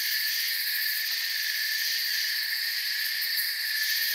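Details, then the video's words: Short stretch of forest crickets: dense overlapping high trills forming a continuous shimmering drone, steady in volume from start to finish. "Forest Sounds and Crickets"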